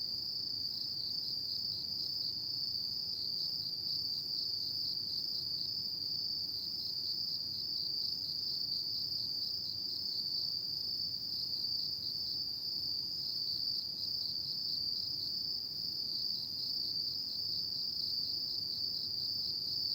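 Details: High, steady ringing of many autumn insects at night, an even, unbroken trilling wall of sound with a faintly pulsing texture, accompanied only by quiet low background hiss.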